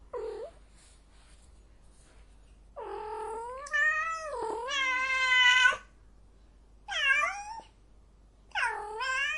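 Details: In heat, a cat yowls loudly in long, wavering caterwauls, one lasting about three seconds with a rising, strained ending, followed by shorter, sliding wails.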